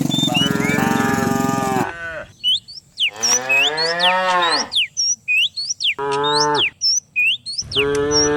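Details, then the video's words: Morning in village hill country as dozens of cows are herded downhill: a long low moo, then a rising and falling bellow and two shorter moos, separated by quiet gaps filled with sharp chirping birdsong. "Herding dozens of cows down the hill every morning, cow sounds"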